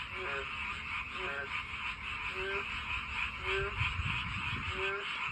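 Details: Frogs along a walking path, calling to attract a mate: rising croaks every second or so, a few doubled, set against a thick ringing chorus of distant frogs and faint low rumble.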